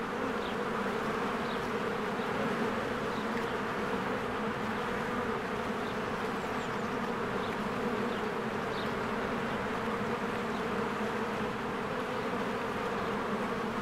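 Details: Bees working around a cozy hive in spring produce a continuous, layered buzz with a deep steady drone. Small, faint bird chirps recur now and then behind the humming swarm.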